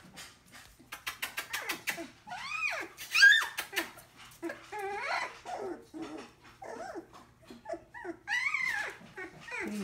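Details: Collie puppies about three weeks old, named Morgan, Mackinley, Arya and Ava, give a rapid run of high, arching whimpers and squeals that rise and fall, with short clicking scuffles between calls.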